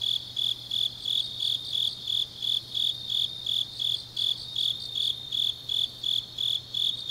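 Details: Deep-night autumn grass insects from Changnyeong, Korea, sounding rhythmic high-pitched chirps in distinct pulses close to three each second, accompanied by a softer trilling insect and a faint low hum.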